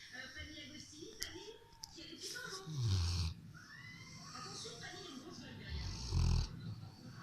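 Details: A Rottweiler settled on the sofa snores with deep, rumbling breaths, while faint speech sounds in the background.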